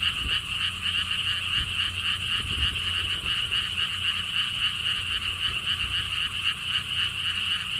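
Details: Chorus of frogs at the Siheung lotus theme park in Korea, near a stone wall path. Many overlapping raspy trills pulse steadily at about four beats per second, with soft low wind noise underneath.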